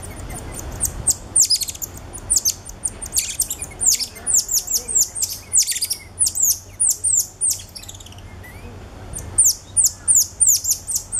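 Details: Cotton-top tamarins at Alma Park Zoo in November 2013, a family with two ten-day-old babies riding on the father's back, filmed with a Canon SX50: rapid bursts of very high, thin, downward-sliding chirps in dense repeated clusters.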